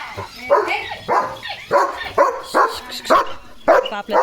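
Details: Leo, a German Shepherd guarding the gate as a herd of sheep walks past the house, barks fiercely: about eight sharp, loud barks in quick, uneven succession, with a person's voice now and then.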